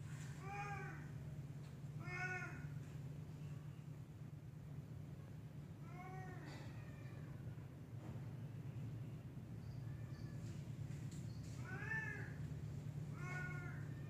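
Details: Black cat in a tree meowing repeatedly, about six arched, tonal meows spaced a few seconds apart, some paired close together, against a constant low droning hum.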